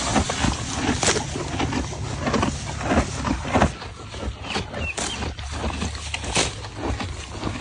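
Horses chewing, a steady crunching and grinding of feed repeated in an uneven rhythm over a low hum.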